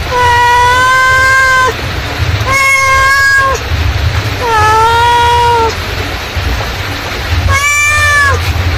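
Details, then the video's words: Mother cat calling her kittens: four long, clear, drawn-out meows, each about a second long with rich harmonics, spaced roughly two seconds apart over a steady low rumbling hum. "suara induk kucing memanggil"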